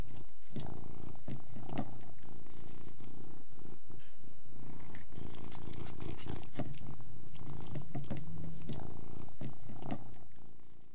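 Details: Persian cat eating and purring, the deep continuous purr pulsing underneath irregular wet clicks of chewing, with a few sharper ticks near the bowl before the sound fades out at the end.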